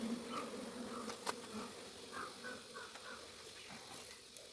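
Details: Low, continuous droning of honey bees around hives on a Kerala farm while honey is being extracted, with short buzzy passes rising and fading and a few sharp handling clicks over the hum.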